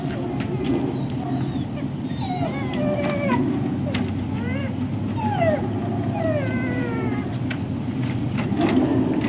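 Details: Waiting for breakfast at Service Dog Project, Ipswich, MA, October 2017: several dogs give drawn-out, downward-sliding whines, sometimes in quick pairs, against a constant low droning hum.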